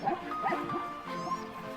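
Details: Vervet monkeys in riverbank trees along the Zambezi give short, sharp barks, the troop's alarm call for a prowling leopard, over background music.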